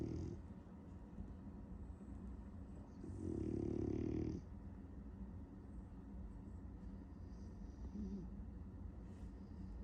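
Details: Sleeping French Bulldog, dreaming of chasing cats, gives a single low, rasping snore lasting just over a second, followed by soft breathing and faint room noise.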